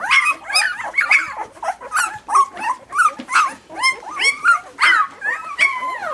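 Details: Young puppies crying in a steady run of high, rising-then-falling whines and yelps, one about every half second, with no other sounds behind them.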